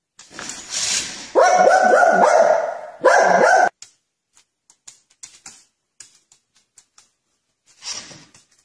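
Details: Dog in a funny prank compilation, giving a quick run of high, ringing, harmonic barks over about two seconds after a noisy start, then a pause and one more short burst before near silence with faint clicks.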